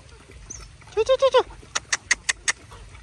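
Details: Dog play-fighting with its friends: four quick, tonal yelps that arch up and down in pitch within half a second, followed by a rapid series of five sharp, dry clicks or snaps.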